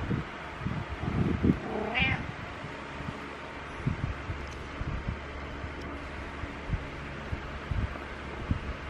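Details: Butters, a pet cat, meowing in the morning: one rising then falling harmonic meow near two seconds, with soft thumps and rustling of movement through the rest of the recording indoors.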